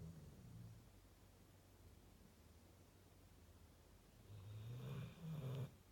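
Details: A female Rottweiler snores with low, rumbling breaths, the last one louder and raspier.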